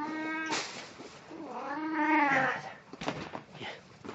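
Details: A domestic cat in Snow White costume, recorded 1 April 2017, gives a short flat meow and then a longer drawn-out, wavering meow that rises and falls, followed by rustling and clicking sounds.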